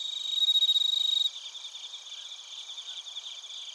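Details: Crickets and bell crickets chirp in Narita, Chiba, Japan, captured on a TASCAM Portacapture X8. A loud, rapidly pulsed high trill opens, then stops abruptly, leaving a softer continuous shimmering insect chorus.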